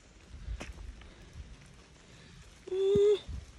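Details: Bobcat kitten met on a hike with a girl and her dog: one steady, drawn-out, nasal cry lasting half a second, after quiet outdoor ambience and soft rustling.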